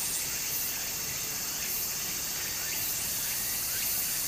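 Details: Summer cicada chorus by a small Japanese stream. A bright, shimmering high buzz swells and dips in long pulses, with quick repeated chirps in the middle register over a constant wash of flowing water.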